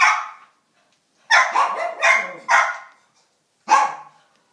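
Short, bright barks from a miniature schnauzer come in a tight run of four, then a single bark follows after a pause. Each bark is abrupt and high-pitched, with no other sounds behind it.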